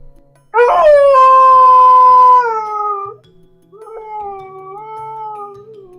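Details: Dog crying, puppies included: a sudden loud drawn-out whine holds steady for about two seconds, then fades and sags, followed by a softer, lower, long wavering cry.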